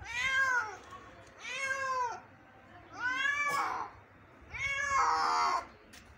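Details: Injured kitten, found in the morning and being rescued, gives four drawn-out harmonic meows, each rising then falling, spaced roughly every one and a half seconds with brief quiet between.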